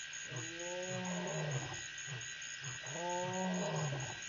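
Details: Lion at Pete's Pond, Mashatu Game Reserve, Botswana, recorded at 9:00 PM on February 13, 2014: two deep, drawn-out moaning roars about two and a half seconds apart over a steady high insect-like hum.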